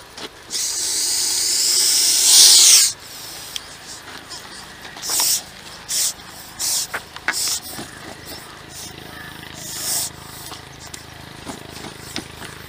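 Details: Aggressive Russell's viper being rescued by a wildlife rescue team in Ahmednagar, Maharashtra, India: one long, loud, airy hiss of over two seconds, then several shorter sharp hiss bursts, with scattered clicks and handling noise.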